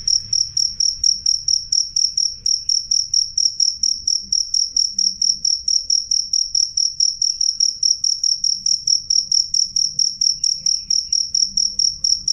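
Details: Clear, loud chirping of a cricket, a piercing high tone repeated in quick regular pulses around four per second without a break, over a soft low background murmur.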